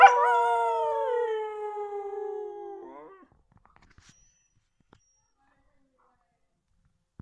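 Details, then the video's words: Single Siberian Husky howl: a sustained tone slowly sinking in pitch for about three seconds before breaking off, followed by near silence with faint clicks. "Siberian Husky Luna aullando"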